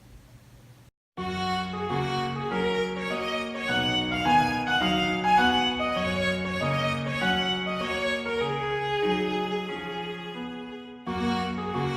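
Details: Bowed string music, violin-like melody with steady lower notes, begins after a second of quiet and ends with a short break near the end, with no animal voice heard.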